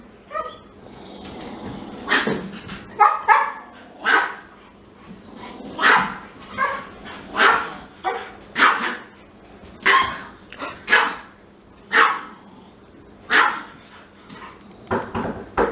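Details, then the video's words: Pet Siberian Husky crying indoors because it is not allowed to smell a little Pomeranian; loud whining, yelping cries with rich harmonics come in bursts roughly every second, some drawn out and wavering, with quiet room noise between them. "Little Dog makes Big Dog CRY"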